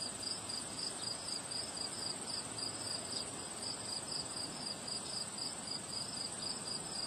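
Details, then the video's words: Crickets chirp on a windy day, their high, evenly spaced pulses running without pause above a constant roar of wind, with a thin, steady high hiss layered on top. "Relaxing Sound of Crickets Chirping on a Windy Day"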